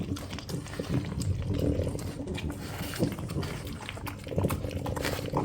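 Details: Indoor family of French Bulldogs, grandmother Ume, mother Roku and eight-month-old Yuki, scrambling over egg soboro; deep nasal grunts and snuffles run almost continuously, rising in brief louder snorts, mixed with wet eating noises.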